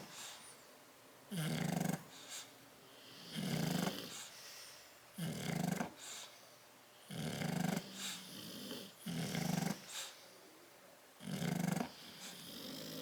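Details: Two bulldogs, Tyson and Tyra, sleeping in a crate, recorded 10/30/12; rough snoring breaths with a low buzzing core and hissy exhale, about six snores spaced roughly two seconds apart.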